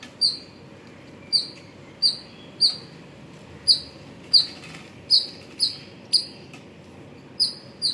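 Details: Squirrel calling in the morning hours at Pozhichalur: a sharp, high chip note repeated about every half second to a second, eleven chirps in steady rhythm, over a low, quiet background hum.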